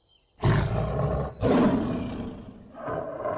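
A tiger gives two deep, rasping roars, each lasting about a second, followed by a quieter rumbling growl.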